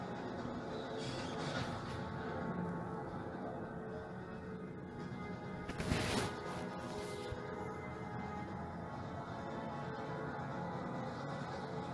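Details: Background music with a dramatic, tense feel and a brief crash near the middle, with no animal voice.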